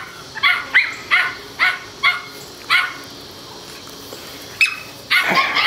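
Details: Seven-week-old male Toy Schnauzer pups, four of them, play outdoors; a run of six or seven short, high puppy yaps, then a quiet gap and a louder squealing yelp at the end.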